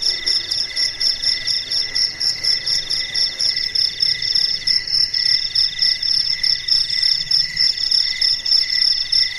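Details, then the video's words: Crickets calling at night amid quiet darkness, continuous high-pitched pulsed trilling from several insects overlapping, with a steady throbbing rhythm. "SUARA JANGKRIK MERDU DI MALAM HARI"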